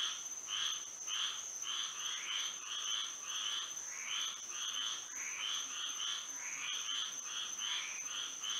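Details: Florida frogs calling at night in moonlight, many voices trading short raspy trilled croaks in quick irregular succession, a continuous high-pitched hum steady behind the chorus.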